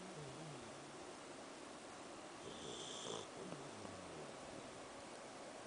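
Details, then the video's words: Sleeping pet Samoyed named Angel snoring: low, wavering, rattling rumbles drawn out with each breath over a constant hiss, one brief louder snort near the middle. "Snow Angel SNORING!!!!"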